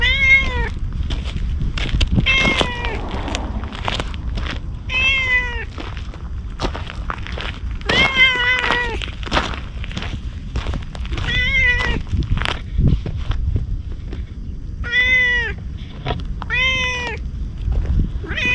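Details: Stray ginger tabby cat approaching a man as if asking for protection, filmed outdoors on a GoPro HERO8: a run of about ten clear, pleading meows, each short and slightly arching in pitch, spaced one to two seconds apart, with faint background noise.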